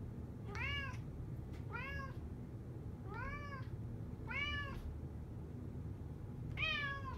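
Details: Male American Curl cat at an animal shelter in Fairfax County, meowing to ask for more petting; five clear arched meows, each under half a second, about every 1.2 seconds, with low background hum.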